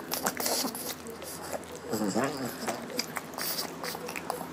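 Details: Female pug Lotte, very hungry, voices happiness while eating her meal in a small room. A rising-and-falling nasal moan stands out at the centre, with smacking chews and snuffles around it.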